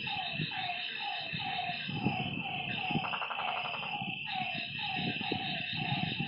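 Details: Night chorus at a lakeside with frogs giving quick, downward-sliding notes in a steady run, a brief rapid pulsed burst in the middle, and a constant shrill hum above.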